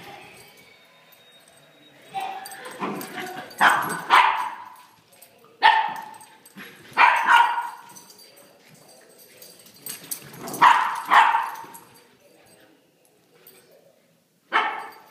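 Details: Playful puppies yapping in a series of sharp, high barks and yips, bursts clustered around two to four seconds apart with short quiet gaps, some whining tones between them.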